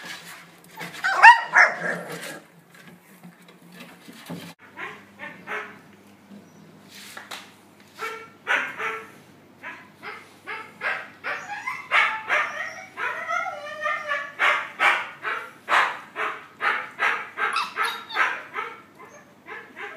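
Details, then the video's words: Puppies interacting, with a run of short high yips and barks that starts sparse and then repeats rapidly, roughly three per second, after some early whimpering and faint clatter. "Puppies giao lưu"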